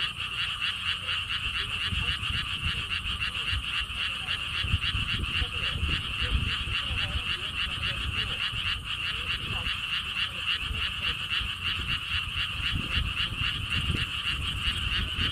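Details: Frogs in a lotus theme park in Siheung, South Korea, with a stone wall path: an unbroken chorus of quick rattling croaks, roughly three to four pulses per second, over gusty low wind.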